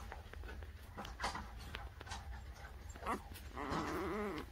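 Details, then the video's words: Newborn puppies, filmed from birth to three weeks old; soft rustling and shuffling, then a wavering, wobbly whine near the end, with faint background noise. "Cutest Newborn Baby Puppies: Birth To 3 Weeks"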